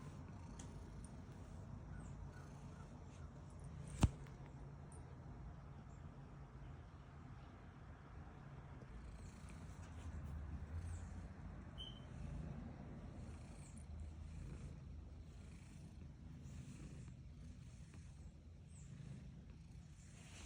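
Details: Female domestic cat purring while being petted: a soft, steady low rumble with a gently pulsing rhythm throughout, plus one sharp click near the four-second mark and faint background hiss.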